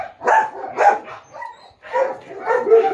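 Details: Japanese Akita at a shoot in Baguio City on October 21, 2023, giving loud barks in quick succession, about two per second, each a short harmonic burst, with a brief pause before a further run of barking.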